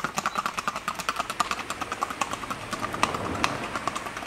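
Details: Colombian Paso Fino horses Cortezano de La Virina FC and Tintoreta de Casanare from Casanare: rapid, sharp hoof clicks at roughly two to three beats per second, an even quick-stepping rhythm with a faint background hum.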